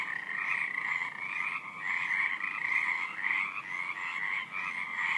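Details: Night-time frog chorus: many frogs croaking together in a continuous, shrill, pulsing stream that rises and falls slightly in loudness, with no other clear sounds.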